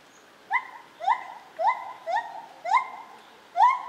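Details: Lar gibbon at Zoo Opole in 2015. Six clear rising hoo notes, evenly paced about half a second apart, each swooping up and holding briefly.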